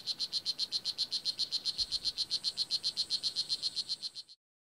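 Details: Full-grown male blue jeans poison dart frog on the Nicaraguan rainforest floor, singing to attract a mate or warn off other males: rapid, even series of high buzzy chirps, about four per second, stopping abruptly after four seconds.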